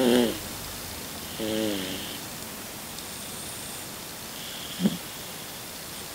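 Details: A 16-year-old Toy Poodle breathes in sleep with soft, nasal, snore-like wheezes and a brief snort; its sleep breathing has grown louder with age.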